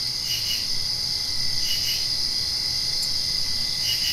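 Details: Night crickets just after rain: a continuous high-pitched ringing drone overlaid with short clustered chirps recurring roughly every one to two seconds, calm and even throughout.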